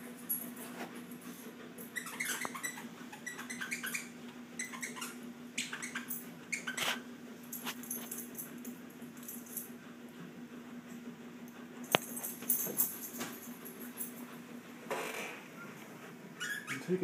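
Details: Shih Tzus wrestling in rough play. Short, squeaky whines and yips come in scattered clusters, busiest early and near the end, over a steady low electrical hum.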